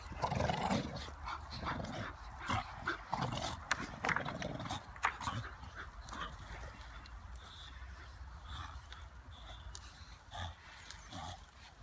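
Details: Playing football, English Bulldogs give a cluster of gruff, choppy barks and grunts in the opening seconds, fading into softer sporadic noises and steady outdoor rumble.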